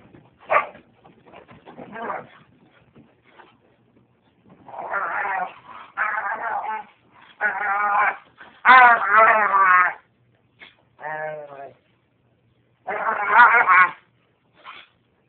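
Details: Dog named Lady, the white one, playing with another dog, Lucy, making a weird noise she picked up from another dog: strained, wavering, bleat-like bursts of varying length, some harsh, others tonal with pulsing undertones.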